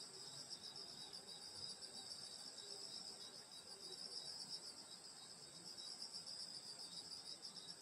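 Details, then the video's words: Insects singing on a summer night in the Korean countryside at a grandmother's house: dense, steady high-pitched trilling bands of crickets layered together in a continuous chorus, with a faint low murmur underneath. "여름소리 풀벌레소리 시골밤소리"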